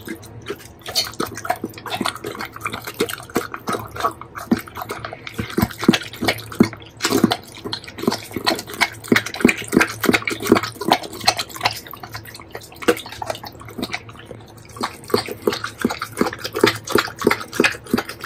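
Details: Doberman dog chewing a heap of bacon, recorded close to the mouth: dense, rapid wet smacking and clicking bites about three per second, moist and slurping, continuing steadily throughout without pause.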